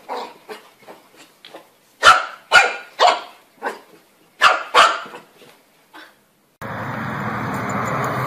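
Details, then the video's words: Puppies barking: a run of short, sharp barks at irregular spacing, soft at first and then louder in the middle bursts. A steady broad hiss or rushing noise takes over for the final seconds. "Puppies Barking Compilation - Cute Dog Barking Videos"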